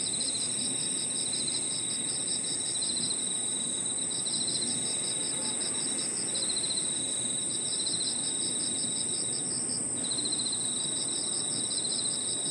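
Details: In a park at evening, crickets and other insects form a layered chorus of continuous high ringing, pulsed trills in bursts of a few seconds, and a lower unbroken buzz over faint low-frequency hum.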